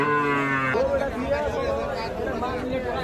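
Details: Sahiwal bull at the traditional Aftabganj cattle market, Nawabganj, Dinajpur district, Rangpur division, on Tuesday 11 October 2022: a short, deep harmonic moo lasting under a second, followed by busy market chatter and voices.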